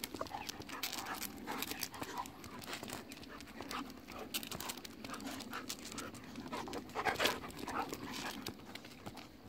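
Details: Two golden retrievers, Kohaku and Ibuki, rolling about and play-fighting on a pleasant October 15 morning, biting each other in friendly play; steady panting and snuffling with scattered clicks and thumps of movement.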